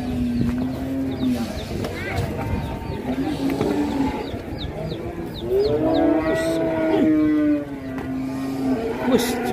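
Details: Raging cattle in Indonesia lowing repeatedly: low, harmonic moos that rise slightly and level off, one near the start and a longer, stronger one midway, with sharp clicks and background noise.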